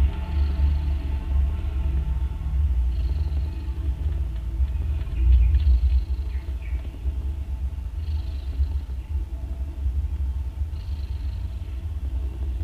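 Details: Loud snoring from a domestic mother cat while her three newborn kittens, two orange and one grey, drink milk; irregular airy snores every two to three seconds over deep continuous rumbling.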